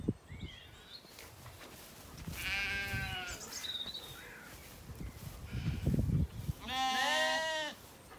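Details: Zwartbles lambs, recently weaned, grazing in an evening orchard in County Kilkenny, Ireland. Two loud, strongly harmonic bleats stand out between low thumps and rustles of the animals moving, with a few bird notes.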